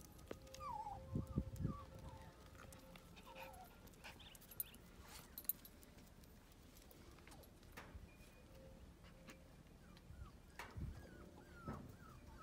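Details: Playing Cavoodle puppies let out brief, thin rising squeaks and whines in scattered bursts, mixed with tapping, clicks and scrabbling noises from their play.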